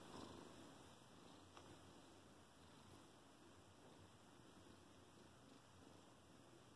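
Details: Young female Bengal kitten, twelve weeks old, purring as she snuggles her blanket; continuous quiet low rumble with gentle regular pulses, slightly louder at the start, otherwise even and uninterrupted.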